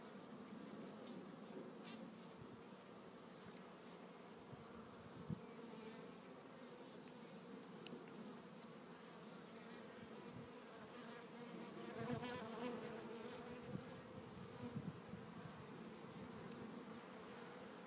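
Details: Hive of Italian honey bees headed by an Italian queen installed March 30, 2013, with capped brood and larvae, recorded April 27, 2013; continuous low buzzing drone, swelling slightly midway, with scattered clicks and frame rustles.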